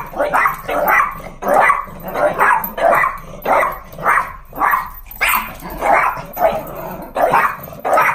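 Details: Pug dogs indoors, excited on hearing the garage as their owner comes home; a steady run of hoarse, rough barks about every half second, loud and continuous throughout.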